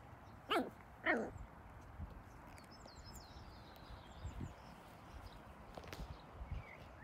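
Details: A male Schipperke gives two sharp, harsh barks in quick succession as an intimidating threat display.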